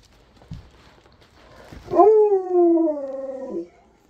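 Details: At Christmas a Siberian Husky calls on its best friend with a single howl. It swoops up, then holds a steady, rich mid-pitched note for about one and a half seconds before stopping abruptly.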